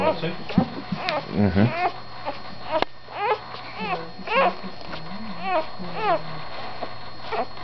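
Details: Luna's puppies, recorded on 16 November indoors in a small room, give high, thin whimpers that rise and fall in short arcs every second or so, while a person talks softly over them.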